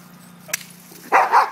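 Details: Dani, an aggressive pet dog playing with Bentley and trying to be alpha, gives a loud, rough, harmonic growling bark after a brief click, cut off at the end; a soft hum lies beneath.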